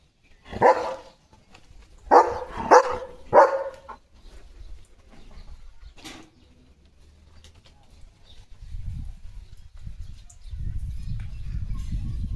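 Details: A German Shepherd in its home yard in India on a rainy day with a rainbow and dark clouds gives four loud deep barks, three in quick succession, then falls quiet as low wind or rain rumble rises.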